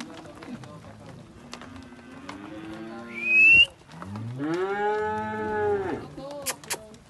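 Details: Steers, part of a herd of 75 young cattle aged one to two years, lowing in long, deep, droning moos with rich harmonics. One follows another after a short gap, and a brief high whistle-like tone sounds between them.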